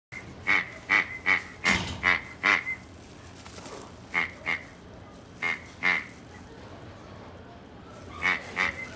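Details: A male Japanese Chin and Chihuahua mix with a white-and-black coat, born 23 October 2017, gives quick runs of high, sharp yaps.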